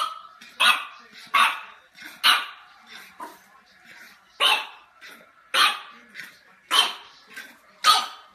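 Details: French Bulldog puppy barking in a compilation of funny dog moments: a run of sharp, harsh barks about every second, some louder than others, with softer grunting yelps between them and no other clear sounds.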